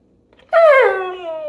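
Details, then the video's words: Pit Bull dog indoors, 'talking' while its owner asks about something under the couch: one loud, drawn-out, tonal howling vocalisation that starts high and slides downward before levelling off, richly harmonic and lasting about a second. "Talking Pitbull Clearly Says Words!"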